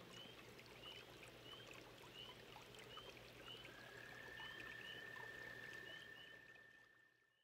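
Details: Toads at a pond: trickling water and repeated short faint chirps, then a high, even, rapidly pulsed trill begins midway and runs for about three seconds before everything fades.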